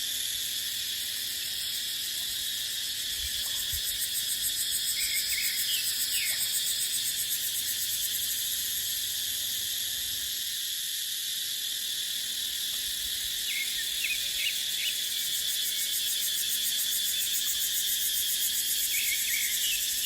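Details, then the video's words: In a dry-season dipterocarp forest, cicadas keep up an unbroken, piercing high drone that swells slightly mid-clip. Small groups of short, upward chirps punctuate it at intervals. "เสียงจั๊กจั่น สายลม ในป่าเต็งรังยามหน้าแล้ง"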